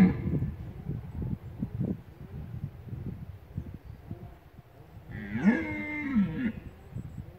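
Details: Rutting red deer stag at the Lądek Zdrój forest district in Poland: soft low grunting thuds at first, then a loud, harsh, drawn-out roar rich in overtones lasting about a second before fading back to quiet rumble.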